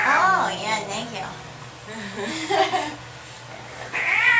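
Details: Cat angry and freaking out during a vet examination, letting out a wavering yowl at the start and another rising caterwaul at the end, with people's voices talking quietly in the small room between the cries.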